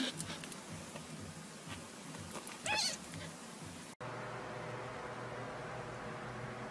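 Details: Baby Sphynx cat giving a single short meow with stacked harmonics that rises then falls, set among soft rustling and handling noises, then a cut to a steady low indoor hum.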